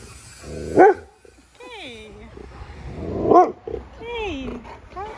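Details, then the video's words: Huge Siberian husky guarding its owners from a small scary person: gruff barks, each followed by a sliding, falling woo-like howl, twice in a row, while a person tries to calm it down. "Huge Husky PROTECTS Us From Small Scary Person!"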